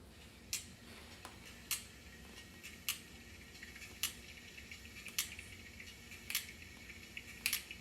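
Sperm whale sending out sharp echolocation clicks, spaced about a second apart, as it searches for prey.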